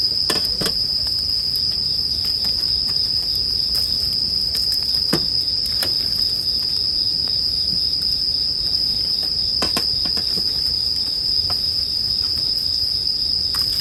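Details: Bell crickets and a crackling bonfire for sleep: an unbroken high ringing tone runs beneath frequent sharp pops and snaps from the fire, spread throughout.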